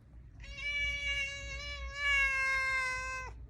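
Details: New kitten outside in the cold, wanting to come inside a room but afraid of the resident cat: one long, steady, tonal meow of about three seconds, rich in harmonics, holding level and dropping briefly at the end, over low background rumble.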